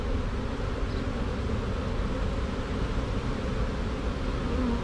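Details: Honey bee swarm marching into a hive box after being shaken from a tree branch, queen caught: a dense, steady low hum of many wings, even in loudness throughout, with no other clear sounds.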